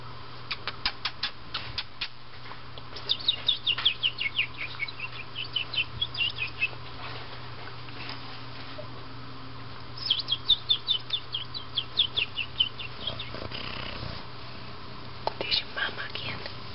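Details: Two-week-old Black and Tan Siamese kittens Lindt, Peeps and Moonstruck, indoors with their mother Tasa, moving about, licking, biting and wrestling; two bursts of quick, high, downward-sliding squeaky mews, with soft tapping and shuffling between them.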